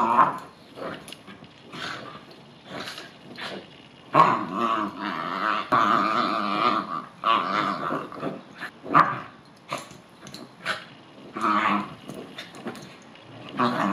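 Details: Indoors, a Bichon Frise dog that dislikes rain and baths keeps up a string of growls and grumbling whines in short repeated bursts, with a sustained wavering growl in the middle.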